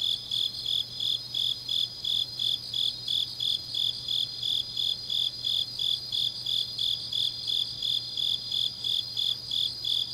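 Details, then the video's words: Grass insects calling in the depth of an autumn night at Changnyeong, South Gyeongsang; a dense train of high chirps about three per second, merged with a continuous shimmering trill above, faint low hum below. "깊은밤 가을 풀벌레 소리"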